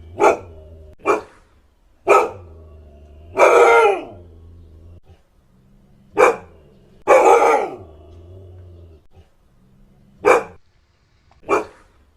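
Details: Siberian Husky giving loud, spaced barks, two of them longer and harsher with a falling tail, over a steady low hum in the background.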